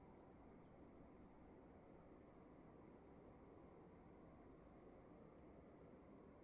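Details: Crickets chirping in a dark room at night, brief bright pulses in an even rapid series, two callers at slightly different pitches overlapping, set against soft steady background hiss.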